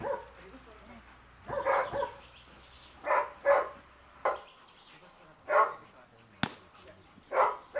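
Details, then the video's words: Giant Schnauzer Dea vom Wasserschloß during protection-work training, giving loud harsh barks in separate bursts, single and doubled, spaced about a second or more apart, with a man's shouted commands mixed in and a low background hum early on. "Riesenschnauzer Dea vom Wasserschloß - Schutzdienst"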